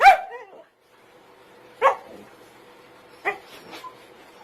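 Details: An angry Siberian Husky puppy gives three short, harsh yelping barks, the first trailing into a wavering whine.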